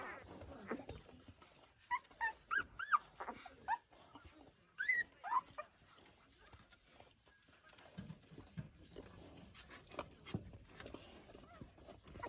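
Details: Seven-day-old Pungsan dog puppies, born June 14 and tended by their mother, whimper in thin, high squeaks that rise and fall, clustered in the first six seconds, then fade to quiet rustling and soft low sounds.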